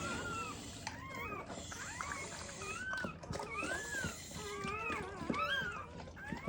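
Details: Newborn black Labrador Retriever puppies from a mother's first litter, needing revival with emergency CPR, give thin, high whining squeals that arch up and fall, overlapping in quick runs, with rustling and rubbing noise indoors.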